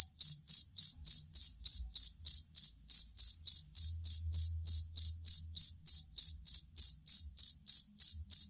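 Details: Cricket used as a master recording to tutor songbirds, possibly a two-spotted or fighting cricket. It gives bright, high chirps repeated steadily about three and a half times per second, roughly 29 pulses, over a faint low hum.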